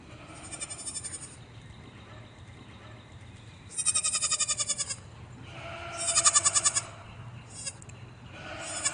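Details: Young goat on a farm bleating three times, each call a loud, tremulous, pulsing cry of about one second, rising and falling, with steady low background noise between calls.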